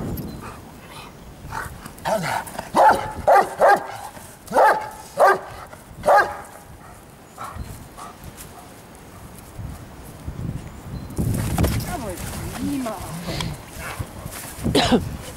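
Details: Giant Schnauzer in Lübben, Germany, giving a run of sharp barks in uneven bursts over the first half, then quieter rustling, low thuds and a few faint whines and voices towards the end.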